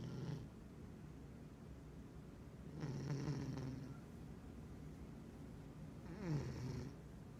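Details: Sleeping pet cat snoring through a midday dream: a low, throaty rumble swelling into breathy, hissing exhales roughly every three seconds, with a louder snort-like breath near the end.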